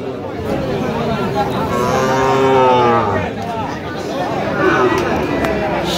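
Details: Sahiwal bull calves at a cattle market in Kurigram, Bangladesh, 9 November 2025; a drawn-out, wavering low moo swells in the middle, surrounded by constant crowd chatter and bargaining voices.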